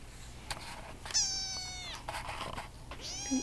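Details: Young Russian Blue kittens at a shelter where volunteers socialize them; two long, high wavering meows, the second rising then sliding down, over clatter and a low background hum.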